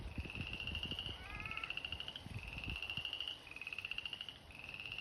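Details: Spring chorus of frogs filling an abandoned fish pond, the Slough: several callers give long, high, rapidly pulsed trills that overlap and follow one another almost without gaps, with a brief falling tonal call near the start and low rumbling underneath.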